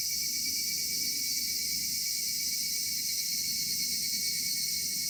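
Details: Evening cicada chorus in a summer cedar wood: an intense, even, high hiss with a steady thin tone running through it, plus a noticeable low rumbling background.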